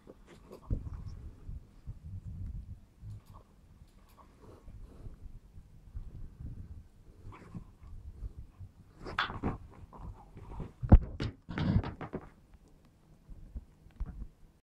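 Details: Smooth Fox Terrier named Run, indoors, playing with a ball, gives low rumbling growls through the first seconds, then scattered sharper noisy bursts and thumps from play.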